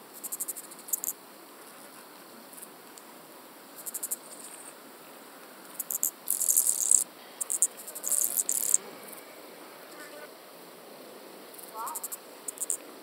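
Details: Common pincer grasshopper on Pag, Croatia, 2 September 2019: irregular bursts of very high, rasping pulses, some brief clusters and some longer buzzing stretches, separated by quiet gaps.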